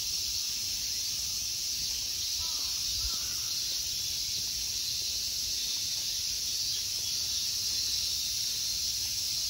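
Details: In a Tokyo temple park, Ikegami Honmonji, in summer, insects keep up a constant shrill buzzing wash, while a couple of faint bird calls come at around three seconds.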